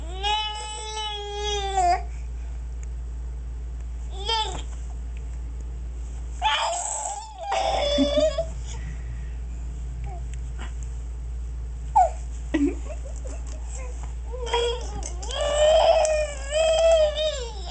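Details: Dog named TJ making strange gurgling noises after his bath, indoors in a small room: a high, wavering whine-like voice with rising and falling sweeps in several bursts, with a man's brief speech in between.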